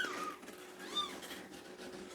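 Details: Kittens, indoors on Good Friday, give a couple of thin, high, arching mews about a second apart. Their mother cat has returned and is nursing them, likely purring, and the kittens meow as soon as they see a person, wanting cuddles.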